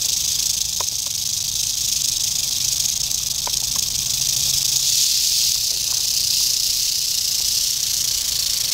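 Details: Eastern diamondback rattlesnake, dated 8/27/11, producing a steady, dense, hissing buzz concentrated in the high register, continuous without pause throughout, with a few faint brief clicks in the middle range.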